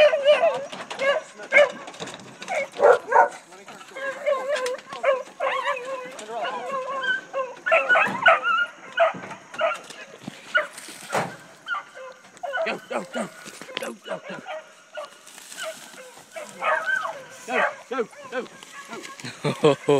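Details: Pack of deer-hunting dogs running deer, a continuous chorus of overlapping bays and yips of varied pitch, with crashing through brush and occasional human voices.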